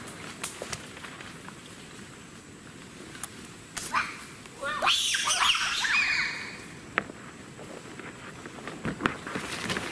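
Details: Wild bonobos in Africa give alarm calls on meeting wild boars, which they fear, climbing trees fast. A brief cluster of shrill, harmonic squeals and yelps rises over a quiet forest background, with scattered clicks and snaps around it.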